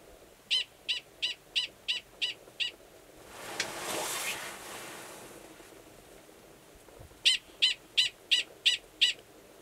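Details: Male Gunnison's prairie dog sounding a mating call at Valles Caldera National Preserve, New Mexico, in March, with an estrous female in a nearby burrow. Two runs of seven quick shrill barks separated by a brief whooshing noise.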